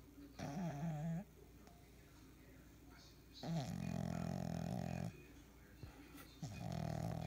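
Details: Sleeping French Bulldog puppy snoring loudly, three separate low rattling snores about a second or more each, separated by quiet breathing pauses in a small room.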